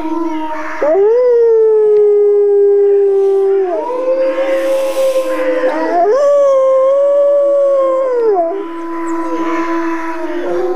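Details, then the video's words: Wolves howling: long, smooth, drawn-out tones that rise, hold level and then bend downward, several overlapping voices over a steady lower drone, each howl lasting two to three seconds. "Wolf Howling"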